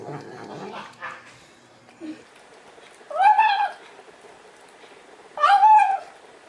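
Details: Cat indoors while eating, giving two drawn-out arched meows about two seconds apart, each rising then falling, after a stretch of soft murmuring and faint room noise.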